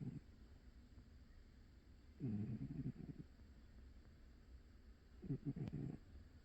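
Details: Old pet cat napping, snoring in two low, rough, rattling breaths about three seconds apart, with quiet room hiss between.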